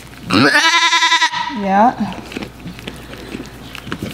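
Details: During her delivery, Blossom the miniature goat gives one long, loud, quavering bleat lasting about a second, then a shorter, lower rising cry, followed by quiet rustling and soft background sounds in the barn.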